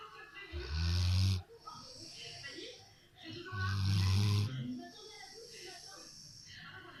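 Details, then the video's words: Dozing on a couch, a Rottweiler gives two loud, throaty snores, each near one second long and about three seconds apart, followed by quieter rustling breath. "Rottweiler qui ronfle"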